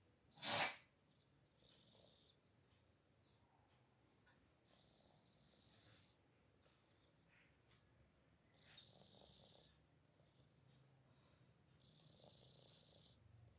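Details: A domestic cat snores while sleeping, with slow, faint, breathy rasps spaced several seconds apart after one loud sharp click at the start.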